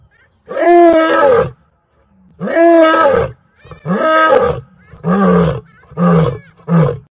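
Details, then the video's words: Lion roaring: five loud, rough, strongly harmonic roars. The first three are long, about a second each, and the last two are shorter and lower grunting roars. The roars come roughly one to two seconds apart, with near silence between them. "Lion Roar"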